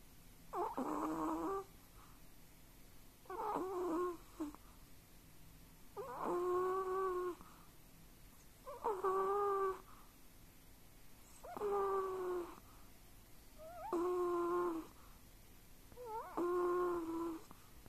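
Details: Chihuahua-pug mix dog dreaming in its sleep, giving soft whining whistles with snuffling, about seven drawn-out breathy bursts each near a second long, spaced roughly every two and a half seconds, in a quiet room.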